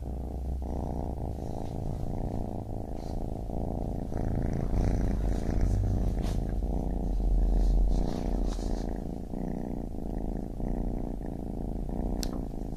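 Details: A baby kitten purrs continuously, a low, even rumble that swells slightly in the middle, with occasional soft rustling.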